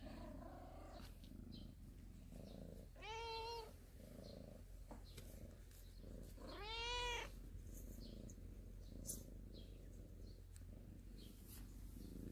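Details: Cats of a storehouse family sunning themselves in the morning; two clear arched meows, the second longer and louder, with a soft low rumble and faint background noise throughout.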